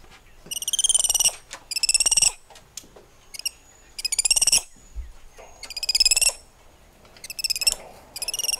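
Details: Several spider monkeys exchange high, tremulous whinnying calls, loud pulsing bursts repeated roughly every second, with fainter answering calls between them.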